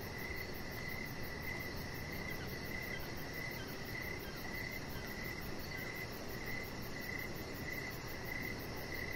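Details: Outdoor evening chorus of crickets on a deck, high thin chirps pulsing at a regular pace, about twice per second, set against constant broadband noise.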